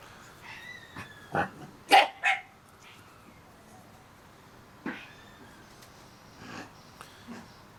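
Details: Shiba Inu puppies, 30 days old, give a few short, sharp yelps and whines close together around the two-second mark. Softer squeaks and snuffling sounds follow later in a quiet room.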